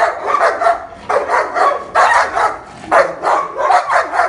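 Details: Nine-month-old king shepherd described as aggressive, with a senior black German shepherd nearby: harsh, loud barks in clusters of two or three, separated by brief pauses, close to the recorder.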